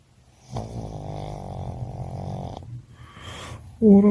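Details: A sleeping Boston Terrier snores after an energetic walk. One long, droning, rattling snore runs about two seconds, followed by a softer breath. A human voice speaks briefly at the end.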